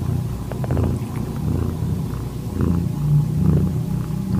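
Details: Calitabby cat in heat accepting a found calico kitten whose eyes were just opening, recorded 8 September 2021 at 6:30 PM; steady low rumbling purr throughout, swelling slightly in loudness around three seconds in.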